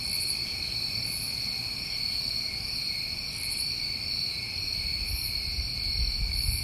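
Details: Crickets calling through a New England summer night, a steady piercing drone with brief very high pulses about every second or two, plus some low rumbling background noise.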